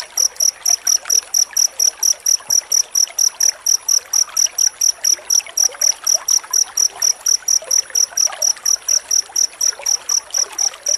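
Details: Dense cricket chirping, used as master sound for training white-rumped shamas: a fast, even train of high, piercing pulses, roughly four per second, continuing throughout over faint trickling noise.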